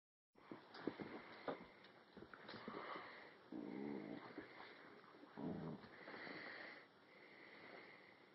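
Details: Alaskan Husky puppy named Cinnamon, tethered to a chair indoors, wrestling in play with Flash, a year-old Rottweiler/Puggle cross; low rough growls and grumbles in bursts, with wheezy breaths, scuffling and thumps in a small room.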